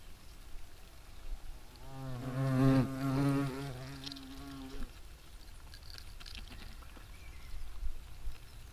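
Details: European hornet, Vespa crabro, in action outdoors; a low humming buzz swells and wavers for roughly three seconds as the insect passes close, then fades into quiet background rustle.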